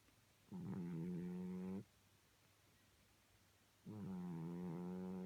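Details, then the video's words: Sleeping cat snoring, with two drawn-out, droning, nasal snores of about 1.3 seconds each, separated by a quiet pause of roughly two seconds in a calm room. "Snoring Cat"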